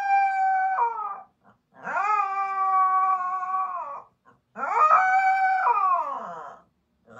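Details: An indoor Siberian Husky screams in protest at not going out, with three long howling wails that rise, hold steady, then slide down, separated by short pauses.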